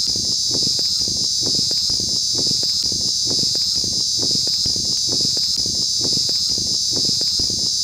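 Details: An insect known locally as "Chi Chi Poka", described as irritating, makes a steady, piercing high-pitched drone, with soft low thumps repeating underneath.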